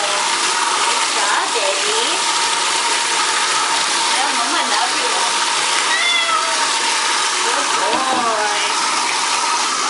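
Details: Male Persian cat during a bath in a tub, which he loves and gets about once a month, paws resting on the tub's side; two short wavering meows rise over loud, steady running water from the spout in the second half.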